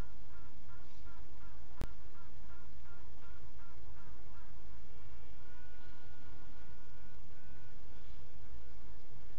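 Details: At midnight on 27 June 2016 honey bees give quick repeated nasal quacking pulses for several seconds, then drawn-out level tooting tones, over a continuous low hum with one sharp tap.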